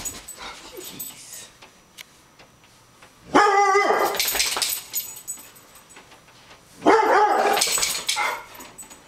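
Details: Louie, a guard dog, barks on seeing a raccoon: two loud, harsh barks about three and a half seconds apart, with quieter rustling and faint sounds in the gaps.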